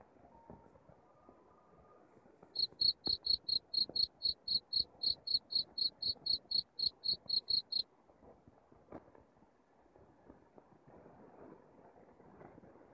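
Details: Cricket chirps used as a rat-repelling sound at home: after quiet background noise, a run of piercing chirps at about four per second lasts roughly five seconds, then stops, leaving only low hiss.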